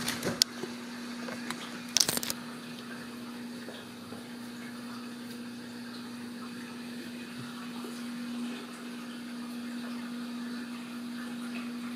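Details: A quiet indoor room with a steady electrical hum, soft running water and a few sharp clicks and knocks, without any animal voice.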